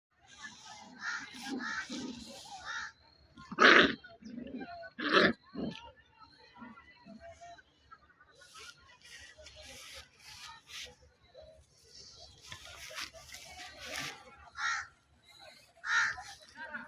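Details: Puppies play fighting, growling, biting and wrestling as part of a playful exchange; rough, grunting growls and short harsh yelps come in uneven bursts, several louder snarls standing out among softer rumbles.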